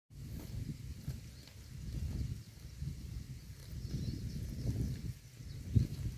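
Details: A herd of cows grazing peacefully on grass in a pasture: low, soft munching and tearing sounds that rise and fall in steady rustling bursts, with one sharper crunch near the end.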